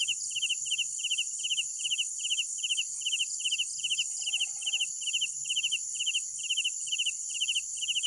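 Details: Night-time cricket chirps, each a rapid group of pulses, repeated evenly about two and a half times a second above a persistent shrill insect hiss; a brief faint lower chatter midway.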